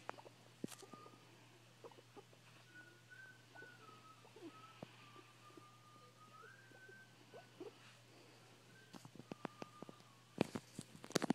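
A guinea pig makes a long, faint, pure whistle that holds a fairly even pitch with small wavers and steps. Scattered clicks and soft knocks sound around it, with a few sharper taps near the end.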